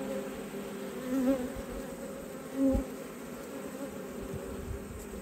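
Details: Steady, even drone of honey bees at an open hive in autumn, a low humming texture with two faint brief tonal blips and no other sounds.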